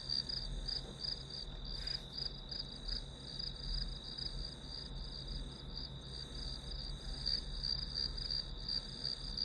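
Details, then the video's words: Grass insects chirp in a continuous high band with irregular pulsing; a brief louder rustle near two seconds and steady low hum beneath, recorded as white noise for studying. "풀벌레 소리"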